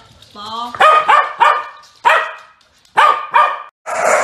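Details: Welsh Corgi puppies playing with a ball: a burst of high, sharp yapping barks in quick pairs, then single barks about a second apart. A brief squeaky whine comes first, and a rustling noise closes the run.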